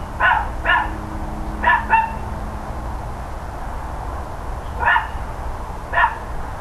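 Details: Neighbours' dogs on a morning in October 2012 bark in short bursts: two quick barks, a pause, a close pair, then two single barks spaced about a second apart, with a constant low hum and faint tonal drone behind.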